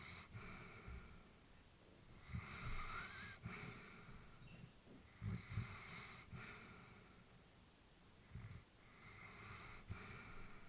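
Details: Old female Labrador asleep at home, breathing in soft, low snore-like rasps with small snorts, a breath cycle roughly every three seconds against a steady, hushed room background.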